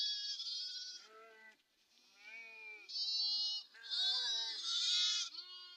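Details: Sheep of a Telangana farm flock grazing in woodland, giving a run of loud, tremulous bleats one after another, some high and thin, others lower and fuller, with barely a pause between calls.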